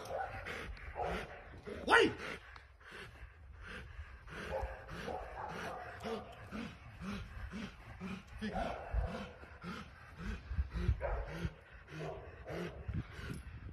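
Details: Rottweiler at training sends out a long steady series of short, low yelping barks, evenly spaced, while a person talks over parts of the sequence.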